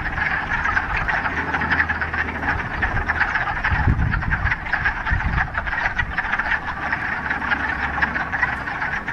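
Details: Mid-March frog chorus from a mountain pond in the Ramapo Mountains after a week of rain, first warm day of spring: steady mass of quick, clacking croaks from many frogs, with a brief low thump near the middle.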